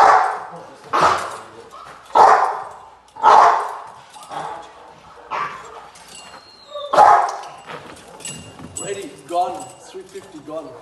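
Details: Rottweiler Gypsy v LordsNLadies barking during protection training post work on July 8, 2021: loud, deep barks at irregular intervals of about a second, mixed with people talking nearby.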